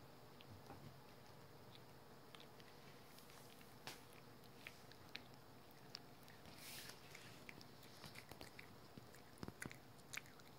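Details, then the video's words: Pet dog Rookie eating a dental chew indoors in a small room: sparse sharp crunching clicks and gnawing bites scattered over a quiet background, with a brief louder burst of chewing near the middle. "우리집 강아지 루키의 먹방"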